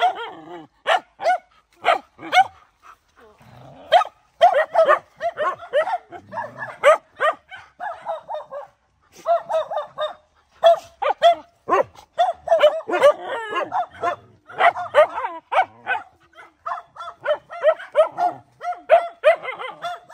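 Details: A mother dog fighting to protect her puppies: a long run of sharp, high barks and yelps in uneven bursts, with brief growly stretches and short pauses between volleys.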